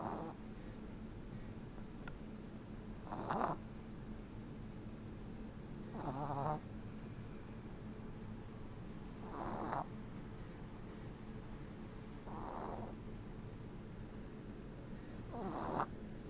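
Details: A 10-week-old Boston Terrier puppy asleep and snoring: soft breathy snores recurring about every three seconds, each a short rasping burst, against a quiet indoor background hum.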